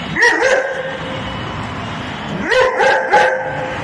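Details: A dog confronting a brave cat over food, having brought a friend to help, gives two bursts of sharp, tonal yelping barks, one near the start and another about two seconds later, with steady background hum between them.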